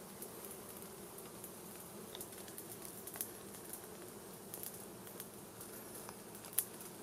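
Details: Honey bees buzzing around a wild hive in a plant while smoke from a small fire drives them out for a honey harvest: low steady drone with occasional sharp ticks.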